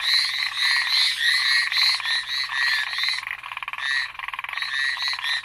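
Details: Several frogs calling together on Amami Island, Japan, Ornate Narrow-Mouthed Frog or Hallowell's Tree Frog: harsh rasping croaks in overlapping runs, a rapid ticking rattle emerging near the end.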